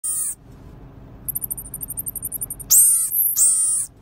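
Very high-pitched, sharp chirps from a pygmy marmoset come in a rapid, slightly uneven run. Two longer, shrill calls follow, each sustained for about a second, over a quiet background hiss.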